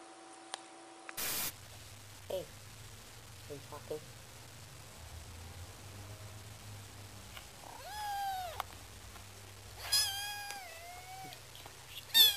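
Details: A domestic cat meows twice, each a harmonic, downward-sliding call lasting about a second, with people talking quietly, faint low room hum and a sharp burst of noise early on.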